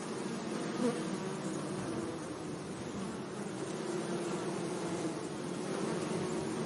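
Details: Bees humming among flowers in a sunny meadow, a constant layered buzz of many wings; one bee passes close early on with a brief louder drone, then the hum swells slightly toward the end.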